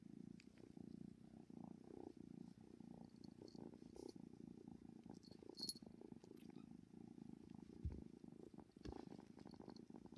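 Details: A 10-week-old kitten purrs loudly and steadily, a low rumbling motor-like sound.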